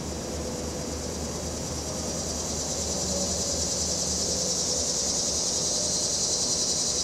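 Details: Cicadas on a windy afternoon, September 14, 2023, recorded by phone with a stereo microphone: a steady, high, hissing drone holds throughout, over low traffic rumble and breeze.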